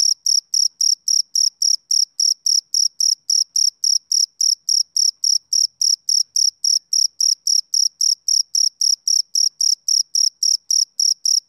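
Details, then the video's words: Rhythmic chirping of a male cricket on a summer evening, bright high-pitched pulses falling almost four to the second, unbroken and clean against silence. "Cricket Chirping Sound Effect"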